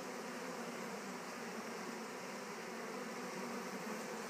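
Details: Honey bees settling into a Warre hive just after being returned from a swarm; an even, low humming buzz runs unbroken, somewhat fan-like and without clear individual passes.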